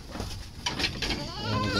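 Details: During wet feeding on azolla, a goat's harmonic bleat rises near the end, preceded by rustling, chewing-like clicks and background noise.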